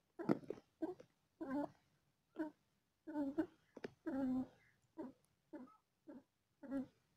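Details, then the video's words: Cat feeling pain while giving birth to four kittens, inside a small room: quick staccato meows and yelps, some doubled, with one slightly longer strained cry midway, repeated every half second or so. "Cat giving birth to 4kittens:, she feels pain"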